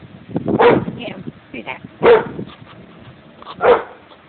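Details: Pet dog barking at a person in a yard: three loud, short, harsh barks spaced about one and a half seconds apart, with faint human speech between them.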